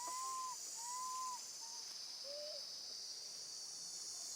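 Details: Young monkey left alone with her grandmother, calling for her mother: a quick run of four clear, whistled cries, the first two long and level, the last one lower and rising, with loud insect buzzing behind.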